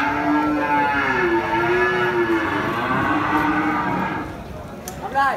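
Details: Cattle at Pasar Muaro Paneh, a West Sumatran livestock market in Indonesia, with a long, steady, rich-toned moo held for about four seconds that then fades. A brief clatter and market hubbub follow.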